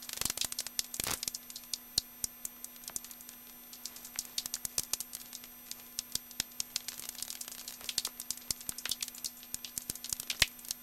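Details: Common noctule bats at Hofholz on 22 November 2012, 18:30, clear sky, about 7 °C, with rapid, irregular dry ticks and snaps of echolocation.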